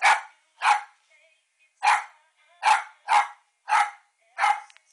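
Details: A female Westie barks at her reflection in a quick, uneven run of seven crisp, high barks across five seconds, spaced from about half a second to over a second apart.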